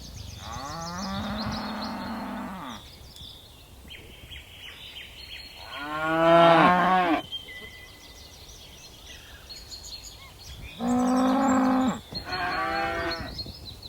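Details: Dozens of tame cattle skipping down a mountainside hill, lowing repeatedly: four separate moos spread across the stretch, some flat and steady, one wavering, with faint high bird notes between them.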